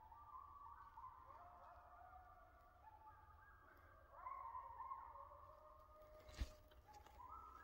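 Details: Coyotes in the back woods give a chorus of overlapping sustained howls at staggered pitches, swelling louder midway, with a sharp click near the end and a steady low rumble underneath.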